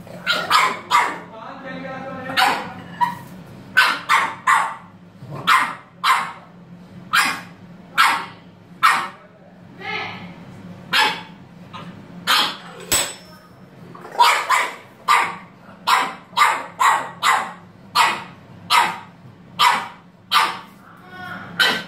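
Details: A French Bulldog barks and yips in quick, sharp bursts, often less than a second apart, apparently in a bathroom it claims it reached first.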